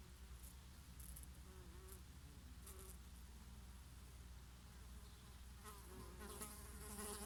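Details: Several bees working oregano flowers in summer, a bumblebee among them: layered low hum with short wavering buzz tones drifting up and down, a brief brighter buzz near the end, soft wind throughout.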